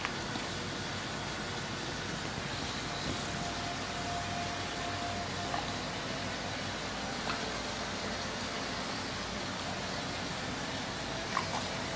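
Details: Steady broadband hum like traffic or air conditioning fills the recording, with no animal voice heard.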